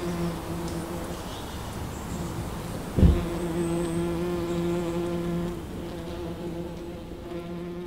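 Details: Wild honeybees foraging over a wildflower meadow; continuous low buzzing hum with stacked harmonics, a sharp knock at three seconds, then the drone carries on before thinning out.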